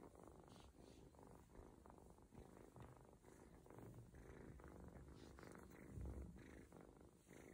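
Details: Low rhythmic purring from an adopted male ginger kitten relaxed under a belly massage given indoors to help him pee and poop; steady throbbing rumble with a brief louder handling bump near the end.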